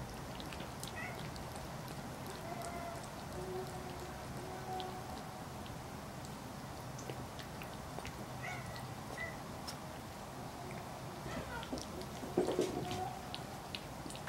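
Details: Old cat, rescued when emaciated, eating tofu indoors; a few soft, drawn-out meows early and again around the middle, over a steady background hiss with faint clicks of eating.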